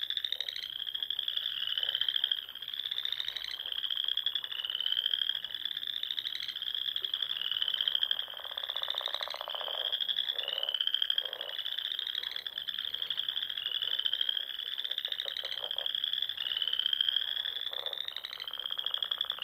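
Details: Dusk chorus of frogs around ponds in the Sandhills of Nebraska in spring: loud overlapping upward-sliding trills repeat roughly every second, over a low rattle of croaks that swells and fades.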